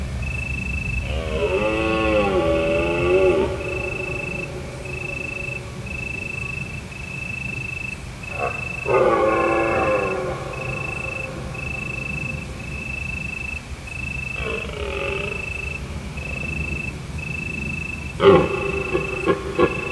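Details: Autumn night in Provence beneath a full moon, where deer roar beyond the hills. Several rough, wavering bellows of one to two seconds come at intervals, the last one short and abrupt, against an unbroken rhythmic cricket pulse.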